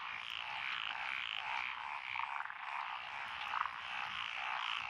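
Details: Evening-style chorus of frogs in lotus paddies at Echizen, Fukui, Japan, 12 June 2021; a thick layer of repeated pulsed croaks rising and falling, one closer call sounding sharply just past three and a half seconds.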